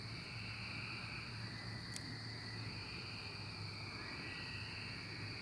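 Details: A 2024 cicada emergence chorus, a continuous shrill buzzing wall of sound with a lower band rising and falling in long waves over a low background hum.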